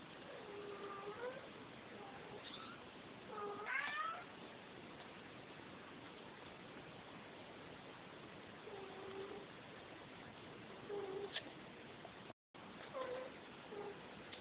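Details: Maine Coon cat meowing indoors: several short, soft, tonal meows, some rising then falling, spaced irregularly across the recording with quiet gaps between, over a steady low background hiss.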